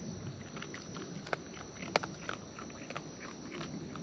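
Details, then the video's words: Close-up of wild raccoons eating, with steady moist chewing and munching carrying a few louder crisp crunches, roughly one and a half per second, over low ambient outdoor noise. "Wild Raccoons & ASMR Chewing Sounds"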